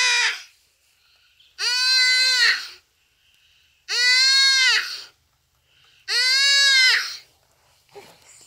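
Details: Common duiker crying for help as a cheetah kills it on a rainy afternoon in Phinda Private Game Reserve; loud, nasal, harmonic bleats about a second long, repeated roughly every two seconds, three full cries with silence between.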